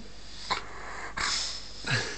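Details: Poppy, a Dogue de Bordeaux (French mastiff), gives three short, broad bursts of sound spaced about seven-tenths of a second apart, the last one longest, over a low steady background hiss.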